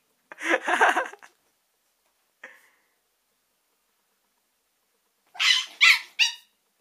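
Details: Chihuahua being attacked by a pet cat, giving a harsh growling bark burst lasting about a second, a brief faint yip, then a cluster of three shrill rapid yelps after a pause, in an otherwise quiet room.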